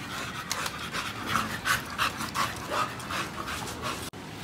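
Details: An American Bully dog panting: quick breathy puffs repeated roughly three times per second in a fairly steady rhythm, with soft tonal traces in the middle, over a light hiss of background noise.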